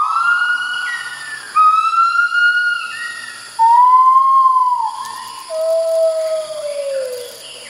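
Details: A calling white-handed gibbon, one of a group, gives pure, whistle-like hoots that swoop upward then slide down, calling profusely while moving between branches in early morning at Kaeng Krachan National Park, Thailand.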